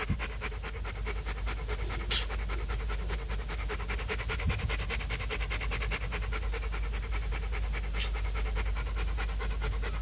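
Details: Steady, fast panting fills ten seconds from a big male Rottweiler named Bruno, a stud dog at a kennel in Thúy Lĩnh, Hanoi; the breaths pulse evenly with only faint background noise and a brief voice.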